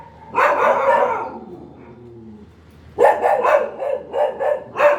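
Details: One long, drawn-out dog bark, a short quiet gap with a faint low whine, then a fast run of sharp repeated barks.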